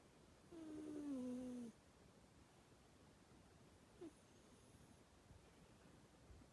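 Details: Pet cat asleep and snoring: one drawn-out, whistled note that drifts downward over roughly a second, then near silence with a faint click.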